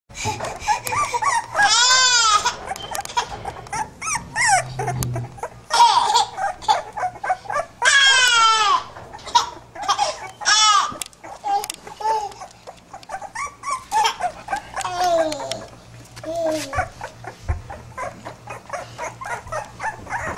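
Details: Pit bull puppies giving a busy run of arching, whiny yelps that rise and fall, some long and wavering, others short and clipped, overlapping and crowding each other, with faint human laughter and voices in a small room.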